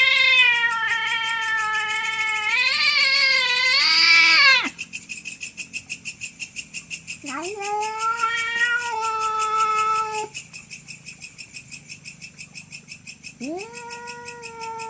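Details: Domestic cats fighting over territory late at night, drawn-out harmonic yowls that swell and break off, rising to a shriller wail, then silence with a pulsing background before another long yowl resumes.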